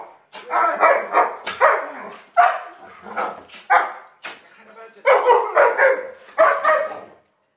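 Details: Feeding time for a pair of Alaskan Malamutes. A near-continuous run of rhythmic, harmonic woo-like bursts rises and falls about twice a second, with brief dips between groups.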